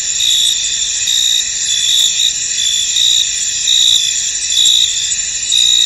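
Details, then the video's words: Many crickets calling together in a fog-covered field, a steady shrill hum layered with sharper pulsed chirp bursts that recur about every second, some louder swells near the end. "Tranquil Cricket Sounds In An Misty Field"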